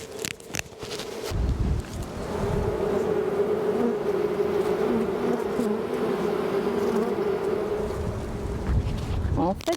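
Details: A queenless honey bee colony, checked at the end of winter in early March 2020, gives a steady, droning hum, the continuous buzz that signals the colony has lost its queen.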